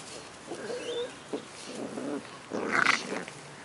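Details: Two 10-week-old Cardigan Welsh Corgi puppies, brother and sister named Fos and Ebo, living in Adelaide, South Australia, making cute puppy noises: soft whimpers and squeaky whines in short bursts, with a louder, higher squeal near the end.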